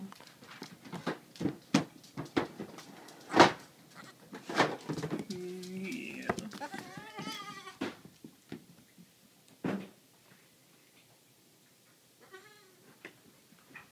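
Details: Two just-rescued baby goats, a La Mancha and a Nubian, investigate puppy and kitten items indoors. Frequent clattering and tapping surround a quavering bleat near the middle and a fainter bleat near the end.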